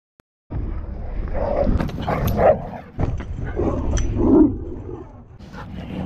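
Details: Pit bull and Belgian Malinois clashing at a dog park, heard as deep, harsh growling and snarling in uneven bursts over a noisy background.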